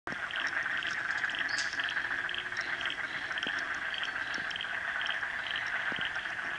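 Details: A very happy dense frog chorus in Frog Hollow: a steady, shimmering trill with quicker, higher pulses repeating over it.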